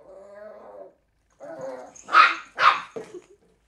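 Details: Three-month-old Cairn Terrier puppy playing with an empty bottle, giving a low growly rumble, then two sharp barks close together, with a woman's encouraging voice heard before.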